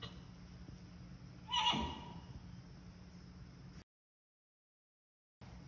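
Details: Friesian mare Jildou, meeting her first newborn foal and finding it strange, gives one short high whinny with a bright shaky tone over a steady low hum, then the sound cuts to silence.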